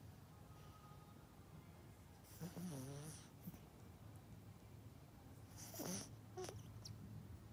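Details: Yorkshire Terrier named Melody, a pet dog, sleeping deeply indoors; two raspy snores with a wavering low rumble and breathy hiss, about three seconds apart, over a steady low hum.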